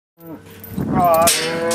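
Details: Black Angus cattle from a herd on a northeast Kansas farm, released into spring pasture: a harmonic moo opening low, then rising into a louder, higher drawn-out bellow, with broadband rustling behind it.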